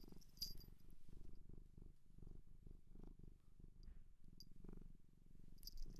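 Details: Purring from a cat adopted from a shelter in Japan, recorded close for ASMR; deep, evenly pulsed rumble rising and falling with each breath, a few light ticks and a quiet indoor background.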